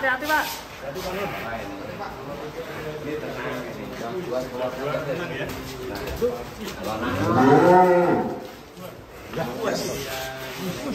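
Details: Heavy fattened cattle of around one ton at an Indonesian pen, settled after being moved through a cramped space; a loud, drawn-out, wavering low moo swells late in the recording over steady men's talk and background noise.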